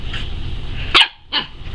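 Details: Wolfdog puppy, seven and a half weeks old, playing with its mother; two short sharp yipping barks about 0.4 seconds apart, with a woman talking affectionately just before.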